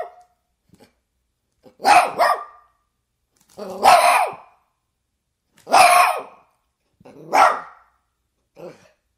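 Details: Single dog barking in rough, gruff bursts, some doubled, about every two seconds, five barks in total with clean silence between them.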